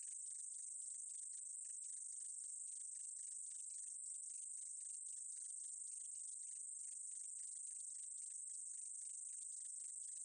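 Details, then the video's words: An unbroken, sizzling high buzz from a short-winged meadow katydid, overlaid by quick stuttering ticks that come in uneven bursts; level stays constant from start to end with no other sounds. "쌕쌔기, 1번 듣기, 곤충소리"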